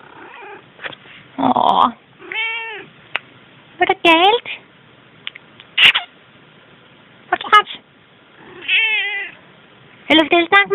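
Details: Selkirk Rex female cat giving a series of clear, harmonic meows, several arching up and down in pitch, spaced a second or two apart, between short chirps, while a woman chats to her in Danish.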